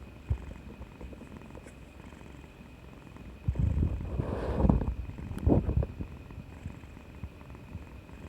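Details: Domestic cat purring affectionately after getting an injection, recorded 2020/3/18 indoors; low, steady rumbling purr throughout, swelling into a louder, rougher burst midway before settling back to a soft hum.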